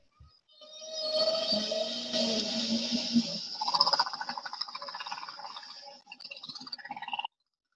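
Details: Humpback whale song: a steady low moan with bright higher overtones swells in, then gives way to a rapid train of pulsed, buzzy notes before ending abruptly.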